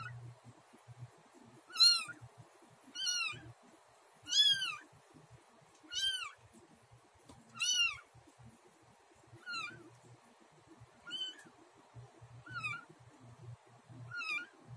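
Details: Newly delivered mother cat Luna eating the placenta after the birth of kitten Snow; ten clear, high-pitched bent meows repeated about every 1.5 seconds, gradually quieter toward the end, with faint low rustling underneath.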